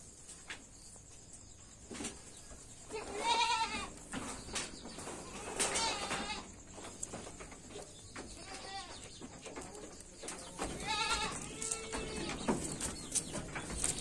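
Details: Jamnapari goat with a red-headed colour mix, giving about four wavering, nasal bleats spread across the recording amid steady farm background noise and faint clicks.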